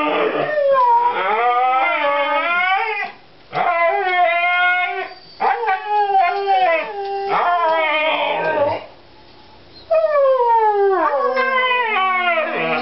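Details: Two Siberian Huskies howl and yodel together before a walk, hoping to go out, in wavering, sliding, overlapping voices with brief pauses.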